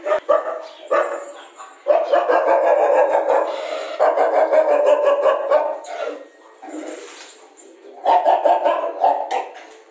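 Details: Rajapalayam dog offered for sale; dense, overlapping mid-pitched yelps and barks in long bursts, broken by short pauses near two, six and eight seconds.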